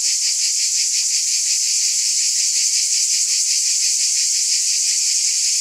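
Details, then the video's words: Steady shrill insect drone from cicadas, constant in volume, with slight rhythmic pulsing a few times each second and nothing else audible. "Scintillating Cicadas"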